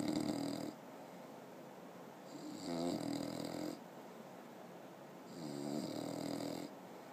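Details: A 6-month-old English bulldog snores loudly, with a rough rattling breath repeating about every three seconds.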